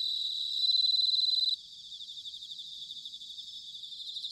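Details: Singing bell crickets recorded in autumn at Sanuki, Chiba, Japan: a loud pure ringing tone held for over a second, then it cuts off, leaving softer rhythmic pulsed trills from several insects.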